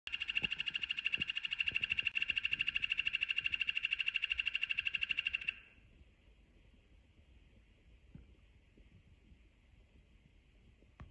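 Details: Yellow-banded poison dart frog calling: a fast, even buzzing trill of rapid pulses, about three per second, for nearly six seconds, then stopping, leaving quiet background with scattered faint clicks.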